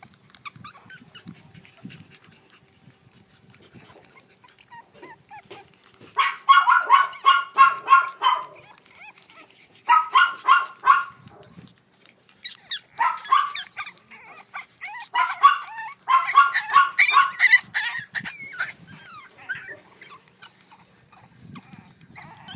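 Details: Boston Terrier puppies, a brother and sister born on 25 February, yipping in rapid high-pitched bursts of several seconds separated by short quiet gaps, with faint rustling between bursts.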